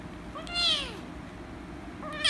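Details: Rescue kitten, angry at being petted, gives one loud falling meow followed by the start of another rising cry, against a faint low hum.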